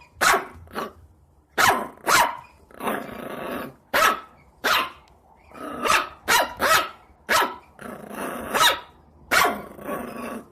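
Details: Harsh, noisy dog barks mixed with rough growling stretches between them, irregular in timing, with a low background hum throughout.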